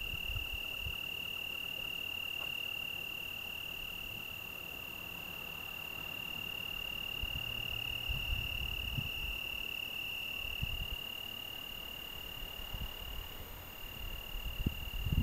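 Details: Sustained high trill of an Italian tree cricket on a June evening in the Algarve. The song runs without a break on a single pitch over faint wind noise and a few soft low knocks.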